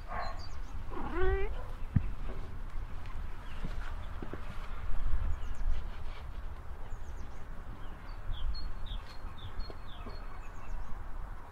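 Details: A single short meow outdoors on a sunny day, where two pet cats, Bowie the Ragdoll and Bella the Lambkin, eat cat grass. The wavering tone rises then falls, with faint bird chirps and a low background rumble.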